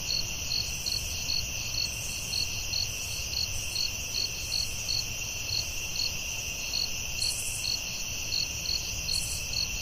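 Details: Crickets at night in the forest: steady high chirps pulsing in quick, slightly uneven beats over a constant shrill ringing drone, with a faint low rumble underneath.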